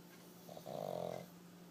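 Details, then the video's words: A pug snoring: one brief, low rasping snort swelling in the middle of the clip and fading, over a steady faint hum. "Pug snoring."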